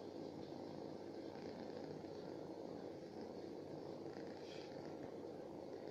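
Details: Street-dwelling stray cat purring close up: an even, dense, low throbbing drone that holds steady without pause for the full stretch, with only faint higher hiss above it.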